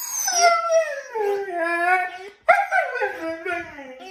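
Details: A Siberian Husky that rarely howls is set off by a dog toy, howling in two drawn-out, wavering phrases that slide downward in pitch.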